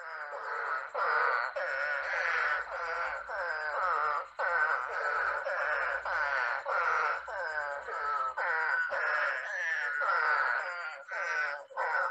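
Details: Spadefoot frog calls played during a Long Island frog talk, the caller shown in a puddle with head thrown back and voice pouch out: harsh nasal moaning bursts, each under a second, repeated nearly nonstop, several overlapping.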